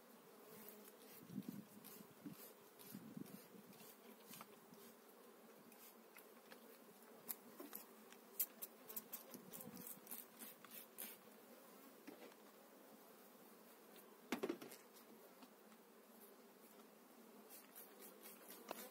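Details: Honey bees from an eight-frame colony bought in spring being moved into a new hive, 2018; steady low droning hum with a layered overtone, broken by scattered sharp clicks and knocks from handling the frames.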